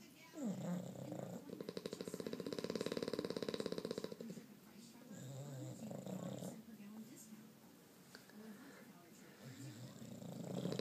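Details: Sleeping French and English bulldogs, Gatsby and Mr. Beefy, snoring: a low, buzzy, rapidly pulsing rattle that swells for a few seconds, then quieter wheezy breaths and softer rumbling snores follow.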